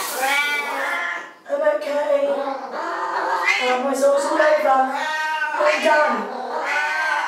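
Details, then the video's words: Two Siamese cats calling while their owner showers: loud, bleating meows repeated in bursts roughly a second apart, overlapping with human voices. "Our Siamese Cats at Shower Time"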